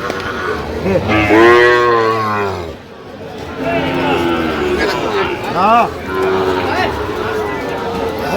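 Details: Sahiwal breed bull calves at a market in Sylhet, Bangladesh, 8 October 2025: one strong, sustained moo lasting nearly two seconds, then shorter bending moos later, over background voices.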